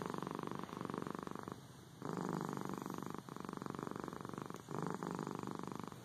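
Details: Domestic cat purring steadily: a low, rapidly pulsing rumble in alternating breath phases about one to one and a half seconds long, with a brief softer dip near the second mark, in a quiet setting.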